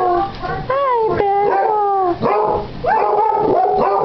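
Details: Two pet Basset Hounds, one almost eight months old and still sounding like a pup, in a morning howling match: overlapping drawn-out howls that bend and waver, with brief breaks and a higher voice joining near the end.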